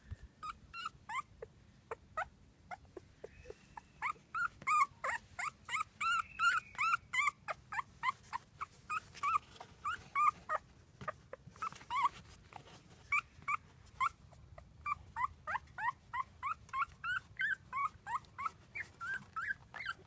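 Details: A litter of four newborn male field-type English Cocker Spaniel puppies gives rapid, high squeaky whimpers and yips, with several voices overlapping.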